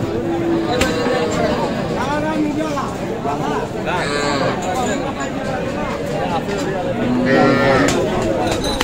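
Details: Sahiwal dairy cows and calves at the Aftabganj cattle market in Dinajpur on 23 July; drawn-out harmonic lowing rises near four seconds and again near seven and a half seconds over constant crowd chatter and market bustle.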